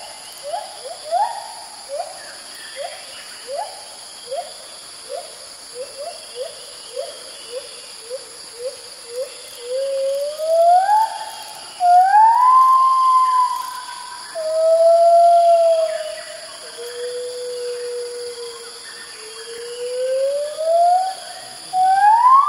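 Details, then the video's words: Early-morning white-handed gibbon, one of a group, calling repeatedly as it moves from branch to branch at Kaeng Krachan National Park, Thailand. Short rising hoots quicken into a series, then long swooping wails climb and fall; constant high insect drone. "white handed gibbon calls"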